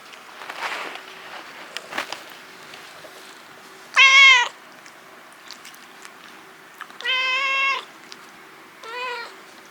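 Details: Talkative rescued kitten, too attached to its foster mother cat to leave her, indoors in Japan: three harmonic-rich meows at about four, seven and nine seconds, the middle one longest, over a faint steady hum.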